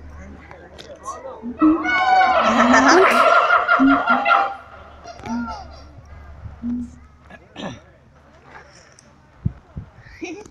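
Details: Siamangs at Taronga Western Plains Zoo give a loud burst of rising and falling whooping calls, with people's voices around them.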